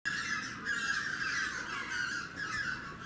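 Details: Asian small-clawed otters (Aonyx cinereus) at Tama Zoological Park, Tokyo, on 18 January 2019 keep up a shrill, wavering, nearly unbroken squeal, with calls overlapping and swelling every second or so.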